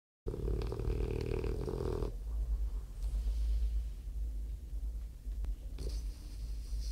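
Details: A French bulldog snores: a loud, buzzy, harmonic rasp for about two seconds, then a softer low rumble of breathing for the rest, with a brief rasp returning near the end.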